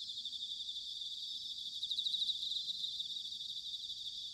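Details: Autumn bell cricket song from Sanuki in Chiba, Japan: a steady high metallic ringing trill, finely pulsed, rising slightly in loudness midway, over a faint low rumble.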